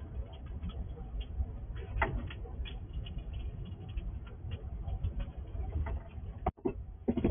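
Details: A wild squirrel feeds at a house in the dark at night, its gnawing and chewing heard as scattered dry, irregular clicks and brief crunching bursts over a steady low rumble.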